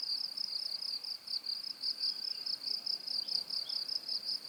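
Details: High-pitched cricket chorus used as a tinnitus masking sound: a continuous, rapidly pulsing shrill trill with gentle swells in loudness and a couple of faint background chirps.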